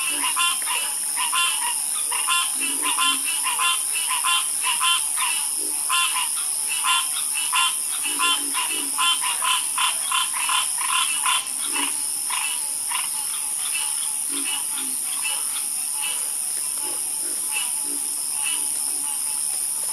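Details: Frogs in a dense croaking chorus, many overlapping clicky, rattling calls in rapid runs, punctuated now and then by deeper low croaks, over a constant high-pitched hiss.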